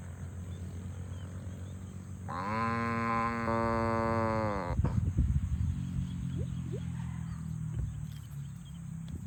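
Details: Farm cows being herded to the barn give one long, steady moo of about two and a half seconds, rich in harmonics, followed by low thumping and rustling noises and a steady high electrical whine throughout.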